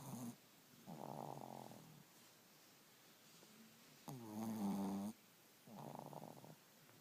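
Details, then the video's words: Two sleeping dogs snoring super loud: deep, rattling snores come in three long bursts, each about a second long and about two seconds apart, with quiet breathing between them. "2 Dogs snoring super loud!"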